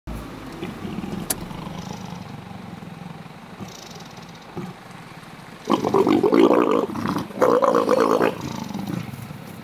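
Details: Two wild leopards mating in Africa: low rumbling growls at first, then loud harsh rasping snarls in two bursts of pulsed grating sound, each lasting over a second, over faint outdoor background.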